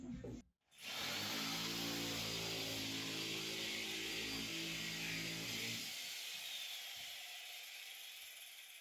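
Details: A power tool whirs steadily with a droning hum, starting after a brief pause and fading near the end, with no animal sound.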